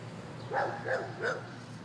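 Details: A family dog sounds off at a man standing by a swing set, giving three short, clipped barks spaced evenly about a third of a second apart.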